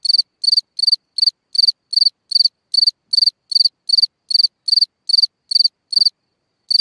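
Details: Cricket chirping at night near its hole in the ground, a loud, high trilled chirp repeated about every 0.4 seconds in an even rhythm, with one short gap near the end.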